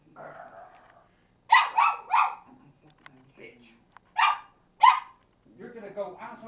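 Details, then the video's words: Pet female Cavalier King Charles Spaniel back-chatting her owner indoors after being told to get down: a fast run of three harsh, throaty barks, then a pause and two more, with a woman's speech before and after. "Our Cavalier gobbing off"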